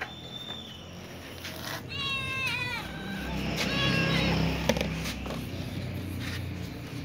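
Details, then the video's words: Little ginger cat and young white cat with other cats meowing to ask for food; a drawn-out wavering meow followed by a softer fading one, with low traffic-like rumble and faint voices behind. "Little ginger cat meows with young white cat asking for food with other cats too"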